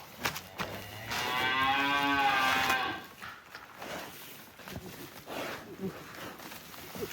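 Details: A giant cow leaving its pen gives one long, loud, steady harmonic moo lasting about two seconds, followed by quieter thumps and background noise.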